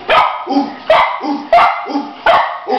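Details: Golden Retriever puppy, 12 weeks old, barking indoors while looking for its dad; a series of four to five short, high yappy barks about every half second, each with a sharp onset.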